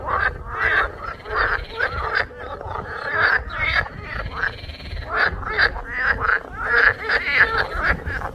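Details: Dense frog chorus with loud, nasal, rasping croaks piling on top of one another in uneven waves, few gaps between calls, and a low rumble underneath.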